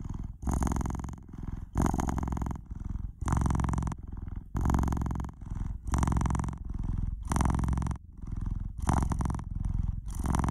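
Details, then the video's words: Close, noisy purring of a pet cat: deep rumbling bursts alternating with short breaks roughly every one to one and a half seconds, the rhythm following in and out breaths, steady and unbroken by other noises. "Cat's Purr"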